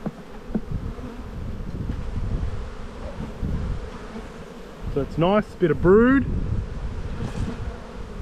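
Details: Honey bees droning in a spring hive being inspected and built up with another box, a low continuous buzz with occasional clicks and a short stretch of human speech midway.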